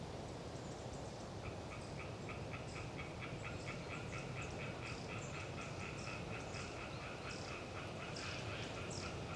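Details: Hyla orientalis tree frogs chattering on a windy autumn day in Galeriç Swamp Forest, Kızılırmak Delta, Samsun: a faint, steady train of short rasping pulses, several per second, half-buried under heavy low wind roar, with thin high bird notes above.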